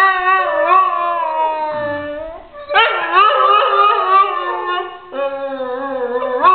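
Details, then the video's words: Nava, a pet Saluki, howls along as people sing Happy Birthday: long wavering, sliding howls rising and falling in pitch, with short breaks and sustained human singing mixed in. "Saluki Singing To Happy Birthday"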